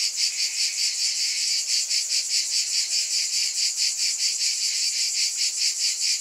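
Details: Chorus of cicadas giving an unbroken shrill buzz that throbs in quick regular pulses, roughly two or three per second, with nothing else audible over the insects.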